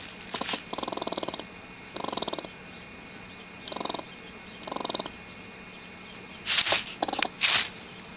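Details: An irate squirrel produces a series of grating, finely pulsed chatter bursts, four in the first five seconds, then sharper hissing spits toward the end against a faint steady hum.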